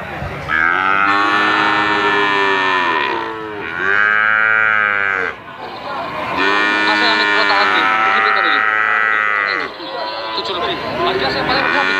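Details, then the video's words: Brahman and Limousin calves at a sale, repeated long bawling moos about every three seconds, high strained calls overlapping with lower ones from several calves, faint voices between. "PEDET SAPI BRAHMAN DAN LIMOSINAN"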